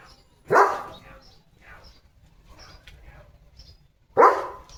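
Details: Leo, a German Shepherd in a village, barking on morning guard duty at cattle, vehicles and other dogs: a single loud, deep bark, a long quiet gap with faint background murmurs, then a second sharp bark near the end.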